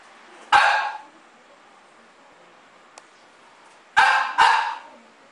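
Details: French bulldog named Hikari Taro, senior adviser at a company in Yanagawa, Date City, Fukushima, in his daily life: a sharp bark, then silence, then a quick double bark near the end, in a quiet room.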